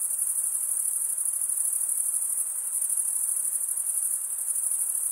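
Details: Continuous cricket stridulation, males scraping toothed wing veins, produces a dense high ringing buzz, evenly pulsed and constant in loudness for the whole stretch, nothing else audible.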